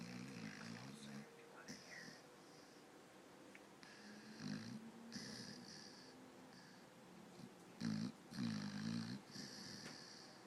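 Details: Sleeping dog snoring while twitching; low harmonic snores with nasal whistling bands higher up, irregular breaths, louder rasping snores near the end.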